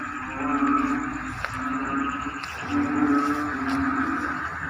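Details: A choir-like frog chorus rises from rice paddies at the start of the rainy season. Low hums swell and fade in slow waves, joined by rapid pulsed, ringing notes.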